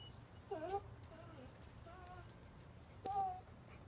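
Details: A dog in time out, kept in a corner indoors, whimpers: thin high whines, one short at the start and a longer drawn-out one near the end, with fainter soft whines between over a low steady hum.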